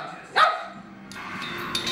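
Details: Dog giving a single short, sharp bark, followed by noisy background clatter.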